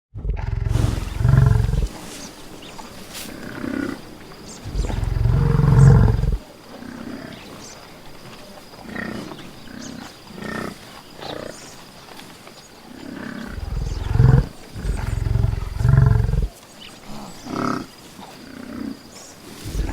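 A buffalo gives deep, rumbling bellows and grunts in bursts of a second or more.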